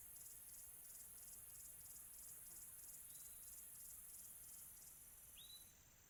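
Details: Crickets on a quiet tropical afternoon: a soft, high, pulsed trill repeating steadily and evenly, with a brief whistled bird note near the end and a hushed background.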